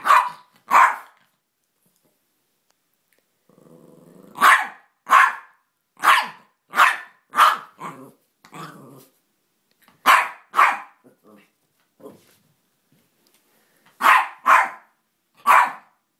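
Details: Jack Russell cross Chihuahua, a small female dog, confronting a toy figure indoors: sharp, bright barks mostly in pairs and triplets, with low rumbling growls between the bursts.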